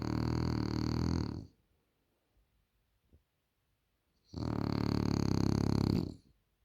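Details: Sleeping French Bulldog giving heavy snores: a gravelly, vibrating inhale ending after about a second and a half, near silence for almost three seconds, then another long rattling snore.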